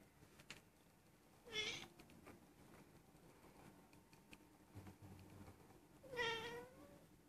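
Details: Young female Persian cat, almost one year old, indoors, normally silent but lately mewing and rolling over; her owner suspects she is in heat. Two loud, drawn-out, harmonic meows about four seconds apart over quiet room noise.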